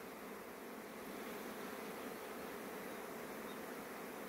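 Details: Crowd of honey bees hurrying back to the hive before rainfall, an even, broad droning hum without distinct passes, steady throughout.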